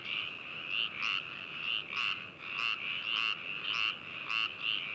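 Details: Binaurally recorded frogs at Hakushu, Hokuto, Yamanashi, Japan, 4 May 2018: a nearby frog gives loud, rasping croaks almost twice a second over a steady trilling chorus of others.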